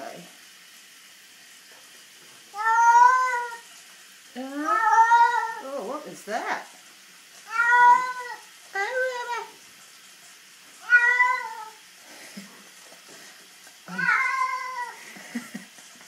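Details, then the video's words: Female pet cat named Puss Puss, dramatic while being bathed indoors: six loud, drawn-out, harmonic meows, some wavering and rising, spaced roughly two seconds apart, with splashing and handling noises between them. "Bathing my cat "puss puss""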